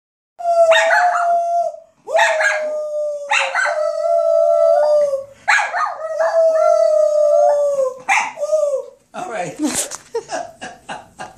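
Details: Papillon dog howling along while its owner sings; long drawn-out tonal howls in overlapping bouts, sliding slightly downward, separated by short pauses, ending with a burst of human voice.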